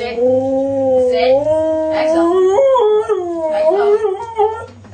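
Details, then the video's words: Siberian husky howling indoors in a small room: a long, tonal, wavering howl that slides up and down in pitch with rich harmonics, breaking into shorter rising and falling bends, then fading toward the end. "husky howling then sneezes at the end"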